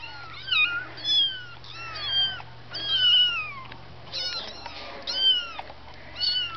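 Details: Kittens, several, calling with high, thin meows that rise then fall, overlapping in quick bursts about every second, some drawn out and wavering, against a steady low hum.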